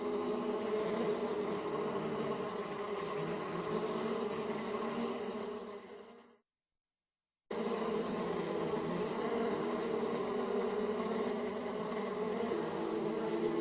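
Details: Bees buzzing in a dense, continuous drone of many overlapping wings, steady and slightly wavering, broken by about a second of silence midway before the humming resumes at the same level.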